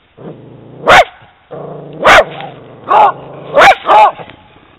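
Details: Female Italian Greyhound out on a walk, reacting to seeing a horse: low rumbling growl underneath, broken by five sharp barks roughly every second, the last two close together.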